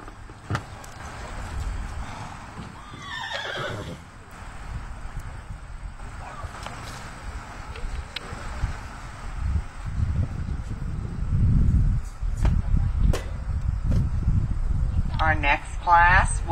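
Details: Three-year-old Appaloosa gelding at a horsemanship class show, a descending whinny near the third second, later a rising squealing call, over low arena rumble, hoof clops and a distant announcer.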